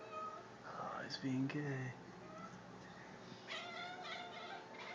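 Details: Strange noises from a male pet cat: a short, bent tonal cry near the start and a brighter burst of chirping calls near the end. A person's low voice speaks briefly in between.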